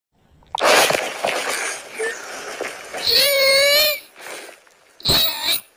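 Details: Kittens meowing: one clear, tonal meow near the middle lasting almost a second, and a shorter meow near the end, preceded by breathy, snuffling noises.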